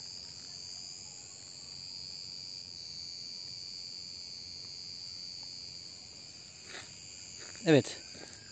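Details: In August in midsummer Turkey, in a wooded area, a cicada chorus gives a steady, shrill, high-pitched drone that never pauses.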